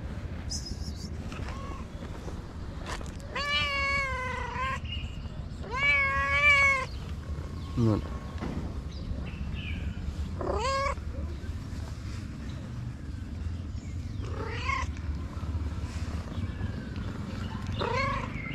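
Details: Tabby cat living on a street in Morocco calls with several long, wavering meows early on, then shorter, softer cries later, with scattered clicks, a brief voice and steady low background rumble.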